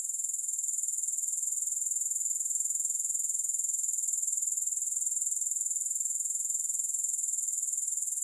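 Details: Grasshoppers calling steadily, no music added, for sleep and focus: an unbroken, very high, fizzing trill with a regular fine pulse throughout, nothing else audible.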